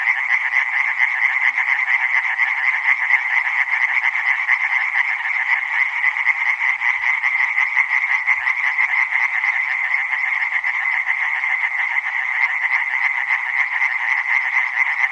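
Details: Dense chorus of tree frogs, countless quick rattling pulses merging into an unbroken, even drone that holds at the same loudness for the whole stretch, with nothing else audible.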